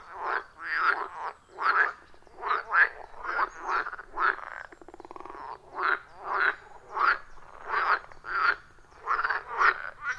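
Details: Chorus of wild frogs around a forest pond, captured on iPhone 14 Pro with a Shure MV88+ microphone: rough, rasping croaks pulsing roughly twice per second in a steady rhythm, several callers overlapping, no other sounds.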